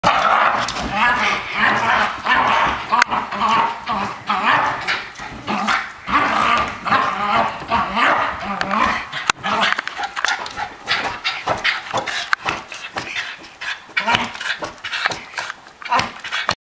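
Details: Welsh Terrier said to hate Pilates, barking in dense irregular bursts roughly once per second or faster throughout, sharp and harsh, mixed with human speech in the room.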